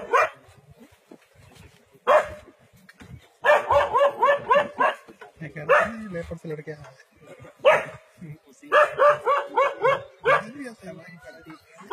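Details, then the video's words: Dog standing its ground against a leopard in a forest: bursts of rapid, harmonic barks, four to six in quick succession, separated by short pauses, with single sharp yelps between the runs. "Brave Dog Stands Ground Against Leopard in Forest"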